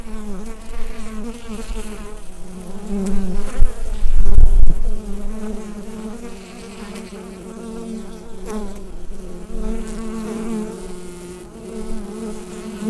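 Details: Low, constant droning of bees within a hive, recorded using a Rode NT-USB microphone. Humming overtones rise and fall gently, with a heavy bumping rumble near the four-second mark and faint clicks.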